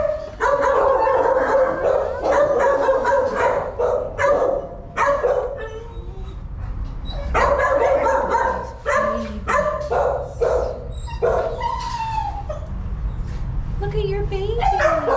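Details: Dog, a mother with her puppies, giving bursts of sharp yips and barks in quick runs, with short pauses between groups and thin whimpering whines near the end.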